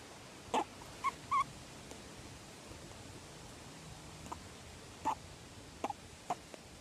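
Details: Juvenile grey-headed flying fox in care, unable to be released due to injuries, squeaking while being petted, tickled and scratched; short thin squeaks come singly and in pairs at irregular intervals over a quiet indoor background.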